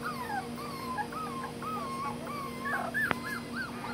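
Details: Dachshund whimpering in Tampa, Florida, in July 2020 while hiding down below, a run of thin high whines, some rising and falling, repeated through the clip over a steady electrical hum, with a sharp click near the end.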